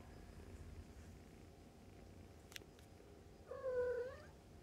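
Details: Fostered kittens and their mother nursing and playing, awaiting adoption via the Humane Society of North Texas; low background rumble and a tap, then a drawn-out, fairly low wavering meow near the end.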